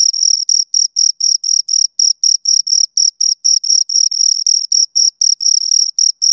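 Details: Two crickets stridulating in a fast, fairly even rhythm, bright piercing chirps around four per second with a faint higher harmonic, a couple of slightly longer pauses, otherwise clean and quiet.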